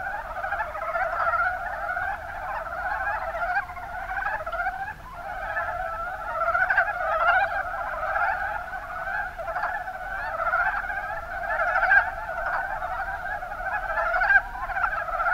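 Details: Rana ornativentris, the mountain brown frog, calling en masse in the Kuma Basin, Kumamoto, Japan. Countless short, hoarse croaks merge into a continuous chorus that swells slightly in places, with occasional sharper calls on top.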